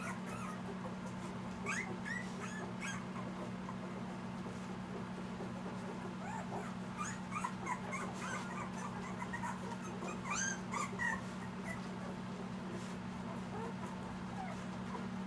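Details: Litter of eight Siberian Husky puppies, two weeks old, in Panama: scattered faint squeals and yelping whimpers come in clusters, with quiet gaps between them, all over a constant low droning hum.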